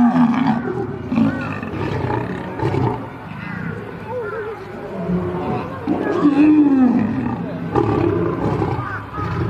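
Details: Rapid, rough growling exchanges between two lions in a fight, choppy bursts several per second, with a longer drawn-out snarl partway through.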